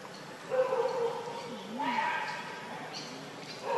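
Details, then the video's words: Baby monkey Leo, begging its mother for milk and hungry, whines in a quavering, wavering tone. Two or three pulses rise and dip, against a soft hiss. "Rainbow Very Angry Need Milk Much I Smart Cute Lovely Baby Monkey"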